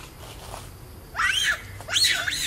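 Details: Baby monkey of the Mila Troop in a park, stolen from its mother and crying hard: two loud bursts of high, arching squealing cries, wavering up and down, after a quiet start with faint background sounds.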